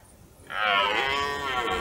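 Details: Red deer stag in the rut, heard in woodland toward nightfall during a hunt without a kill; a single loud, coarse roar starts abruptly and holds steady.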